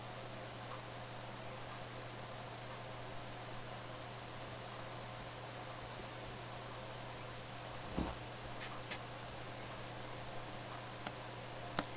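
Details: Steady hiss and low hum fill a small room, broken only by a few faint clicks and taps, with no animal voice heard.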